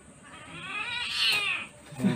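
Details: Sweetie, a female Siamese cat, gives one drawn-out, high-pitched meow while her claws are cut; it rises, then falls and fades over about a second, and a low thump follows at the end.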